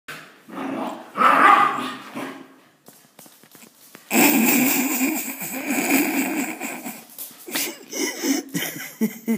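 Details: Pet dog giving harsh, noisy barks and growls in loud bursts, with some human voices and handling noise around it.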